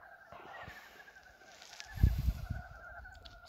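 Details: First frogs of 2023 calling on February 19 as spring arrives: a steady chorus of pulsed, croaking trills layered in two bands, with a brief knocking thump of handling noise midway through.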